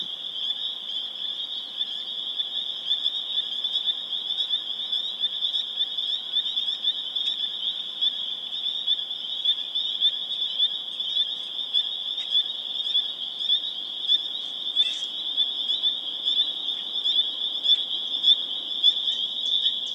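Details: On April 27, 2011 in Harvard, Massachusetts, a spring peeper chorus rings steadily: a piercing high drone of overlapping peeps, with clearer single peeps standing out in quick succession and growing louder toward the end.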